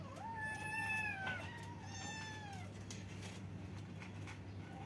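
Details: Kittens meowing at the same time: a long, bright, slightly falling meow near the start, then softer overlapping meows, fading to quieter chatter over a low steady hum.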